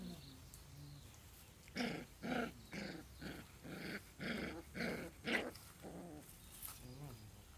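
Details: Newborn puppies playing on a lawn; a run of about eight short, rough growling yaps spaced roughly every half second, tapering into fainter, thinner whines at the end.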